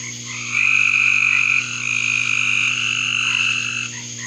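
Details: Several frogs in a backyard giving long, shrill, trilled calls that overlap into a continuous high chorus, loudest early on, with a faint low hum beneath.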